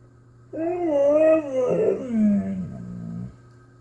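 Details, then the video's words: A domestic Husky vocalizes indoors with a short rising-and-falling moan that breaks into a rougher, lower groaning tail, a woo-like talking sound lasting under three seconds, answering a person speaking to it. "Blizzard the talking Husky"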